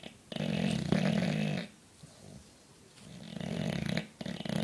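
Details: Four-year-old English Bulldog snoring while asleep indoors: loud, rough, rattling snores about a second long, each followed by a quieter breath, in a slow regular cycle.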